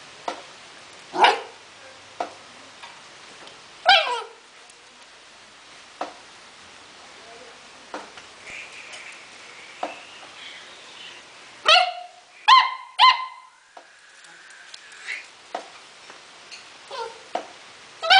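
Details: Playful four-month-old Akita Inu mix puppy: scattered thumps and taps, then a quick burst of high yelping barks with a whiny tone around the middle, followed by more light knocks and clicks.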